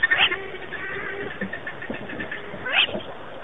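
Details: Chacma baboons at a waterhole in Mashatu Game Reserve, southeastern Botswana, 15 April 2008, give two brief, high, wailing calls over a low rumble of background noise.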